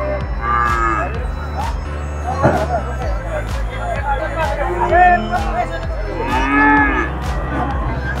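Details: Heifers at a cattle market in Peth Vadgaon, three to four months old, with drawn-out, rising then falling moos near the middle and end, over steady background music and crowd noise.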